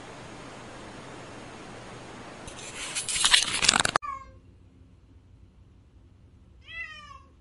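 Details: After a burst of rushing noise cuts off abruptly, a house cat gives two short, thin meows with a rising-then-falling curve, separated by about three seconds of near quiet.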